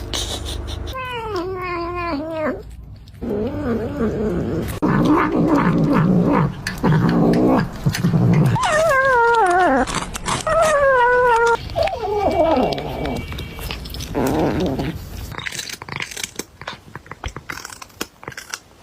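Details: A kitten eating food gives wavering, growly little mews and murmurs.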